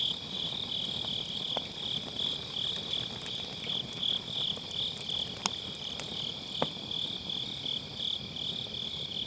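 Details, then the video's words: Grass insects singing on an autumn night beside a campfire in a round fire pit, recorded with an MKE600 microphone using low-cut: an unbroken, high, rapidly pulsing trill, punctuated by a few sharp crackles from burning firewood. "가을밤 풀벌레 소리"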